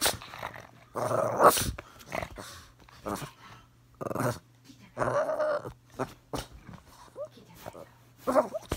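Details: Small dog, a Boston Terrier or Pomeranian that hates being filmed, growling at the camera indoors: short rough snarling bursts separated by pauses, with a steady low hum underneath.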